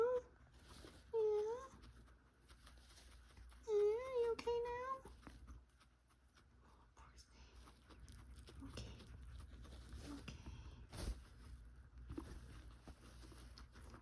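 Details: A female guinea pig makes wavering, hooting tones in short bursts from a respiratory blockage, which always clears with a cough.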